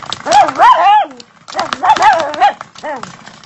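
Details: Dachshund playfully fighting a door stopper, giving strings of high, wobbling yelps and barky whines in quick bursts, about three clusters separated by short gaps.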